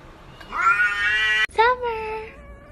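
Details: A talking house cat lets out a loud, rising-then-level meow, then a short second meow that dips and fades, in a quiet room.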